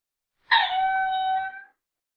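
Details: A single lemur call lasting just over a second, opening with a harsh, noisy burst and then holding a smooth, level, whistle-like tone with strong overtones before fading. Quiet surroundings.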